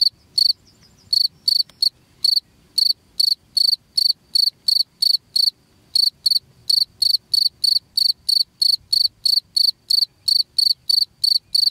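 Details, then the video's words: Chirping cricket played as a rat repellent at home: after a short pause, a long regular train of high, buzzy pulsed chirps, roughly three per second, over soft low background noise. "SUARA JANGKRIK PENGUSIR TIKUS"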